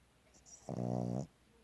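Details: Female Boston Terrier asleep, giving a single half-second snore, a rasping, droning breath with a steady nasal buzz, in a quiet room.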